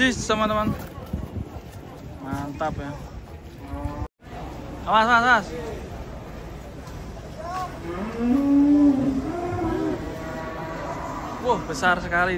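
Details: Giant cattle agitated while being unloaded from a truck: a long sustained moo near the middle with a few shorter lowing calls, mixed with people talking and shouting throughout.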